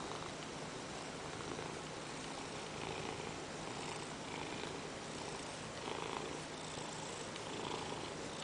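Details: Peanert, a pet Ragdoll cat, purrs continuously on a lap indoors while asking to be petted. A low, even rumble with gentle rises and falls in loudness, about every two seconds, over faint room hum.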